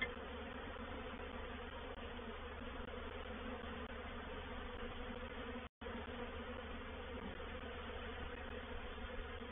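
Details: At Painted Peacock Manor on 04/07/21, a reproductive honey bee swarm moves into a bait hive; continuous humming buzz of many bees with a steady drone, interrupted by one brief silent gap midway.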